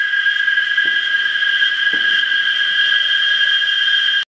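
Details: Cicadas massed in Parque del Bicentenario, San Salvador, El Salvador, making a piercing continuous buzzing drone at a steady pitch, with two soft thumps, then cutting off abruptly at the end.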